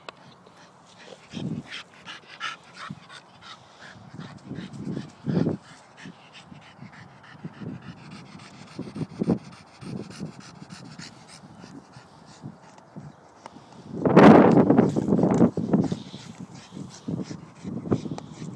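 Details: Staffordshire Bull Terrier at play, giving quick, low, huffing bursts in an uneven stream, with a louder, noisier rough outburst around fourteen seconds before the short grunts resume.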